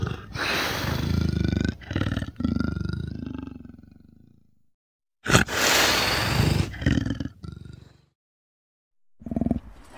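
An Amur leopard gives harsh, rasping roars in long, loud bursts separated by brief silences.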